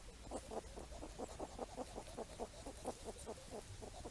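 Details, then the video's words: Wild hedgehogs foraging for apples in falling rain give a rapid, steady run of short low grunts, roughly four to five per second, over a soft constant hiss of rain. "Wild Hedgehogs Forage, Pick Up Apples & Go Swimming While Grunting"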